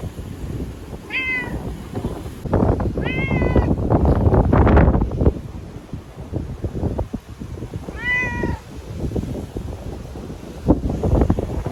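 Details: Feral sakura-neko cat named Chanta (formerly Nyaa), caught and sheltered in a bathroom ahead of Typhoon No. 10 in Okinawa, September 2020, crying and thrashing: three loud harmonic meows, rising then falling, over heavy rumbling and knocking noise.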